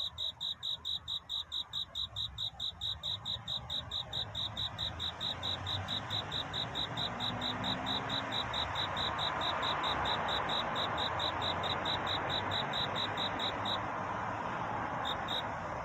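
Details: Night courtship song of a cricket. Fast, regular high chirps come through clearly at first. A rushing broadband noise then swells and partly covers them, and the chirps stop near the end.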